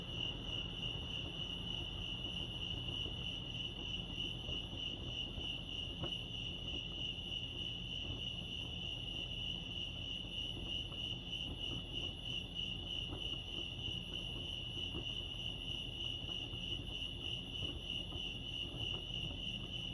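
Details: Crickets chirping at Lake Arrowhead, California, in a natural setting: a steady, high, rapidly pulsing chirp continues without a break for the whole stretch, over a soft low rumble of background noise.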